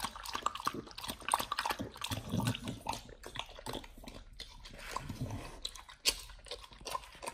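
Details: Pit Bull named nomyen eating a raw whole Thai duck for the first time, raw-fed diet: wet crunching and tearing bites in irregular bursts, with short sharp cracks and moist smacking between pauses.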